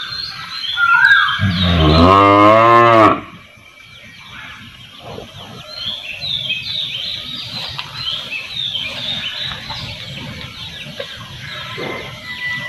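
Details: A single long, deep moo from a cow in a village setting lasts about two seconds and wavers slightly in pitch, then gives way to soft bird chatter and distant farmyard sounds.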